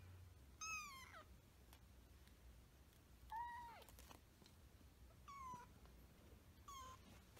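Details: Hinoki the cat as a kitten, meowing four times in a quiet indoor setting: short, high, thin meows that hold a steady pitch, then drop at the end. They come at irregular gaps of about one and a half to two and a half seconds.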